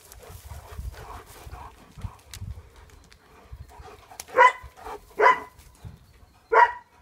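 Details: German Shepherd dogs in a pack: three loud, sharp harmonic barks spaced about a second apart near the end, preceded by softer low rustling and shuffling sounds.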